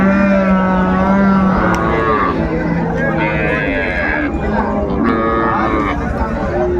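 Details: A long low steady moo opens the clip at Ambari cattle market in Dinajpur, where cows with calves are sold on 24 May, followed by fainter overlapping lows amid busy crowd talk.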